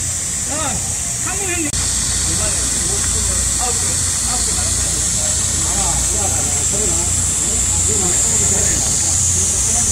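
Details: Cicada song in high summer heat, a dense, unwavering high whine filling the whole stretch, with a brief click near the start and several voices chatting in the background.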